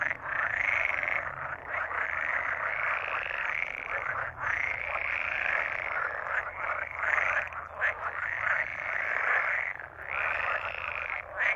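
Pool frogs give loud, rattling croaks in long, continuous bursts, broken by brief pauses.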